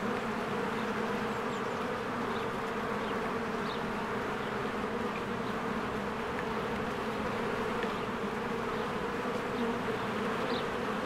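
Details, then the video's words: A swarm of honeybees busy at their hive in spring, giving an unbroken low humming drone, with brief faint high bird chirps scattered across the recording. "1 Hour of a Beehive ASMR"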